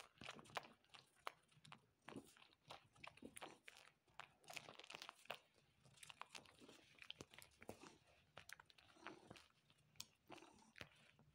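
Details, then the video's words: Male pet cat suckling on its owner's arm, vainly trying to draw milk: quick wet smacking and clicking sucks, several per second in irregular bursts, with soft crinkling in between indoors. "Cat Suckling Arm"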